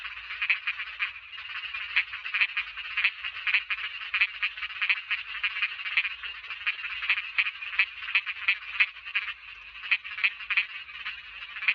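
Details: Small frogs calling in a dense, unbroken chorus of rapid, rattling croaks in a mid-high register, with many overlapping pulses and brief louder bursts throughout, and no other sounds standing out.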